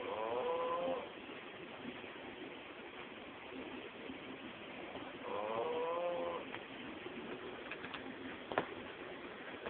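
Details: Male pug snoring in his sleep, two rasping, buzzy snores about five seconds apart, each roughly a second long, separated by quiet breathing, then a few soft clicks and a sharp tap against steady background hiss.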